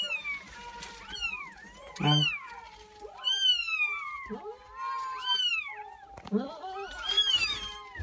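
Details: Four newborn Persian kittens crying indoors: shrill, overlapping mews that rise and fall in pitch, arriving in steady bursts about every second, with brief rustling and faint voices between calls.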